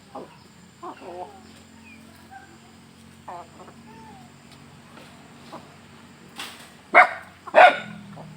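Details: Dog feeding together with chickens suddenly barks at a strange sound; soft clucks and short chicken calls come first, then two loud, sharp barks close together near the end.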